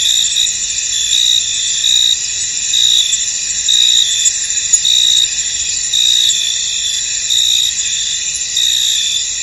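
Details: Misty field at night-like calm with crickets: unbroken high trilling chorus, faint pulsed chirps rising and falling irregularly, nothing else clearly heard.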